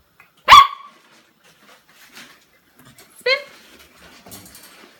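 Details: An 8-week-old female Samoyed puppy gives two sharp, high-pitched barks a few seconds apart.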